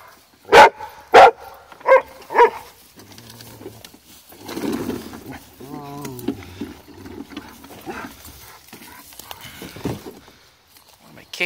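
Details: Female Rottweiler upset at a wagon gives four loud, harsh barks about half a second apart, then falls quiet while a person talks soothingly to her over low rumbling and handling noises.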